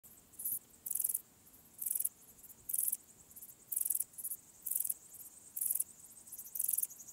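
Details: Graceful bush-cricket, Pachytrachis gracilis, singing at Vela Ucka, Croatia, on 30 July 2023: high, hissing buzzy chirps in short bursts, about eight in seven seconds, spaced roughly a second apart, over a quiet background.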